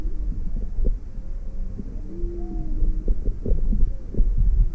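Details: Maui, February 17, 2020: a curious juvenile humpback whale, with its mother nearby, approaches a boat with the engine off. Smooth arching moans and a higher brief tone rise and fall, set against thick low rumbling and sharp clicks.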